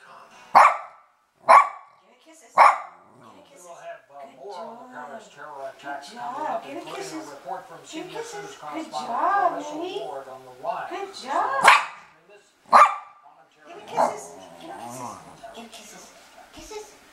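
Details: Knut, a male Bichon Frise who is intimidated by balloons, barking during a face-off with a balloon: three sharp, loud barks about a second apart, a middle stretch of softer voice-like sounds, then three more spaced barks.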